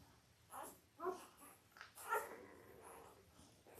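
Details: Five-day-old Labrador Retriever puppies from Belle's litter of five males and three females, born October 15, 2023, on an indoor puppy cam: short, high, squeaky whimpers and squeals, two clearer harmonic cries about a second apart, with soft rustling between.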